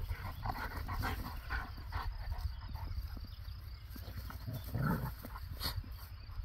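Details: Bernese Mountain Dog and Belgian Shepherd playing together outdoors; rough, broadband barks and throaty growl-like bursts come in quick irregular bouts over a steady low rumble of wind.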